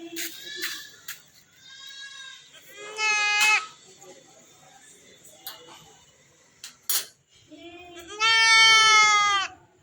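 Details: Male goat held by men while being castrated: loud, strained, quavering bleats, one sharp cry near three seconds and a long wavering one at the end, with shorter cries before them, men's voices and background music.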